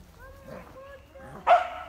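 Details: Two Beagle puppies playing together give soft, thin whines, then one sharp, high yip.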